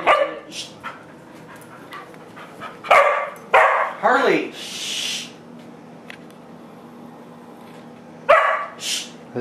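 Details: Pet dogs, among them a Doberman named Harley, at home; scattered sharp barks and a short rising whine break up steady background hum, with people talking between the barks.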